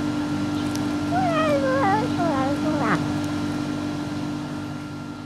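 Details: Singing domestic cat giving a run of wavering, sliding meows over about two seconds, pitch rising and falling in a sing-song way, with a short human voice near the end and a steady low mains hum throughout.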